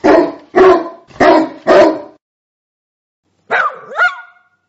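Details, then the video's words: Sprocker spaniel barking: four loud, harsh barks about half a second apart, then after a pause a rising yelp that bends into a whining, tonal whimper. "Dog Barking sound 5 minits photos and videos of sprocker"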